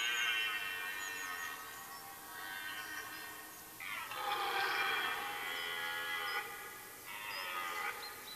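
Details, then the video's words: Red deer stag during the rut in woodland in Mecklenburg-Vorpommern, Germany, late September; distant drawn-out harmonic roars, one long bellow in the middle and a shorter one at the end, over a faint background hiss. "Rotwild-Brunft Teil-1, rutting hart"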